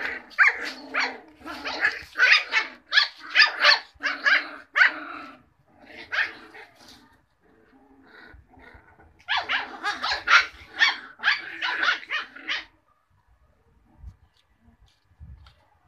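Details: Cocker Spaniel puppies barking in rapid runs of high, sharp yaps, several per second. Two long volleys are separated by a brief lull, and the barking trails off into quiet rustling near the end.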